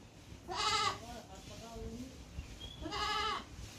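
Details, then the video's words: Goat bleating twice, each a short wavering nasal cry about half a second long, spaced roughly two seconds apart, with faint quieter sounds in between. "Goat wonderful sound"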